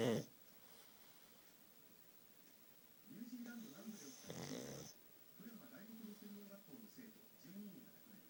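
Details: Futa the pug sleeping, flat face causing loud snores: a quiet stretch, then wheezy breaths building to one harsh snore near the middle, followed by faint whistling exhalations.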